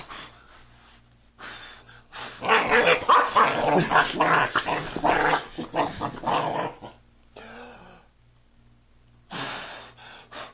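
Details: Puppy playing under a bed indoors; a dense run of rapid growls, yips and small barks for about five seconds, then quiet with a few whines and a woman's voice at the end.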